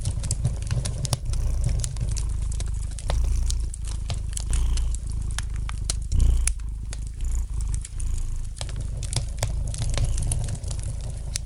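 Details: Soft, rumbling purr of a domestic cat beside a fireplace, continuous with rhythmic breath swells and a brief louder surge midway, overlaid by light popping and crackling of the fire.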